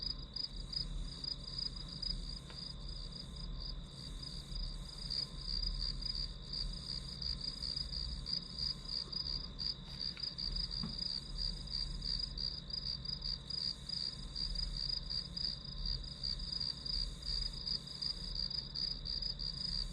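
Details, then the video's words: Chorus of grass insects used as white noise while studying: an unbroken high trill of fast pulses above a steady whining tone, even in loudness from start to finish, with soft low background hum. "풀벌레 소리"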